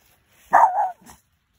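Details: Boston Terrier barking at a stranger close to home: one sharp, loud bark followed by a short, softer huff, then silence.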